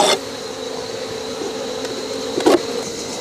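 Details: Honey bees in a traditional log hive opened for the once-a-year honey harvest, half left for winter; a steady droning hum with a strong tone holding level throughout, a brief knock near the end.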